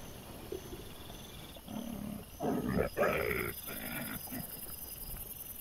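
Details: Wild boar piglets on a 27 September 2024 trail camera recording: a harsh, noisy squealing and growling outburst lasting about two seconds, broken into rough pulses, with a quieter grunt afterward and faint insect buzzing throughout.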